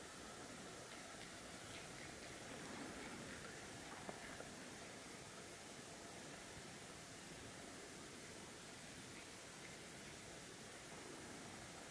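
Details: Steady hiss of broadband noise with faint rustles and a brief click near four seconds, no animal voice heard.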